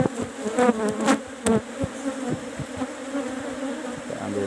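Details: Asian honey bees (Apis cerana) humming as combs are taken from a cultivated hive box at harvest; steady drone broken by repeated sharp knocks and scraping, with a brief voice.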